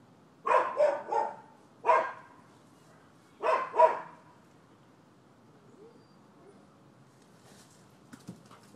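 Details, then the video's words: Dogs next door at a Florida property, 7 December 2015, in a neighbor dispute: a rapid cluster of hoarse barks, a single bark, then a double bark, followed by several seconds of near silence with faint knocks. "30MIN Barking Dogs"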